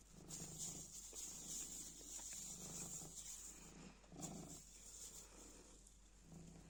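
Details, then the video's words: Cute black cat purring as it plays with a scrap of black plastic bag; soft low rumbling swells rise and fall roughly once a second, over a steady high hiss. "Kara poşet parçasıyla oynarken mırlayan sevimli kara kedi"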